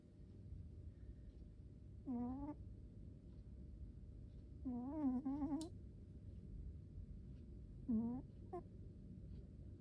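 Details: Domestic cat asleep and snoring in a small room, giving three squeaky, tonal snore bursts about three seconds apart, the middle one longer and wavering, over steady low background hum.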